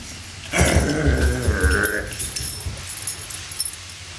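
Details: During play between Great Pyrenees Fritz and Beatrice, a low rumbling growl with a strained, whiny upper tone swells for about a second and a half, then fades into quiet room noise.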